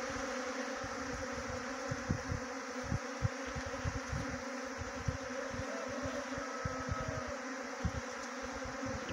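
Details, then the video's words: Continuous low droning of a honey bee swarm during swarm trapping in Jaunsar Bawar, Dehradun district, Uttarakhand, the even hum broken by frequent low knocks and bumps close to the recorder. "Best Honey Bee Swarm Trapping"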